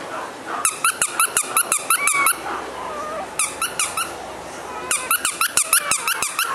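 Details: Male Shih Tzu named Bibin, a sweet, gentle dog, lets out bursts of sharp squeaking yelps that bend up and down in pitch, with short pauses between the runs, indoors.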